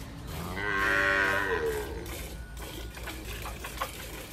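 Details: Milking cow in rural El Salvador, from a herd of dairy cows giving 15 to 20 bottles: a single moo of about a second, fairly high and rich in overtones, then quieter background rustling and clatter.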